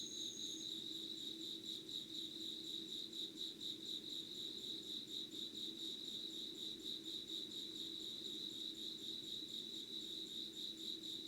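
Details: Night insects in Yugawara, Kanagawa, Japan, 25 August 2019 around 05:00: an unbroken high, rhythmically pulsing chirr with a short piercing pure tone at first, beneath it a soft low rumble.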